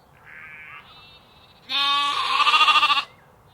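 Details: Sheep and lambs ambience: a thin, higher bleat, then a loud, rich, wavering bleat that pulses rapidly toward its end, against a quiet background.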